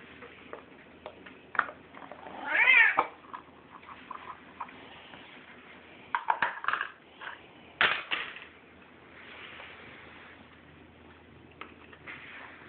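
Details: Bengal cat called Buddy Bear, eating, gives a short wavering meow early on, then scattered chirpy bursts and clicks of eating amid a quiet indoor background.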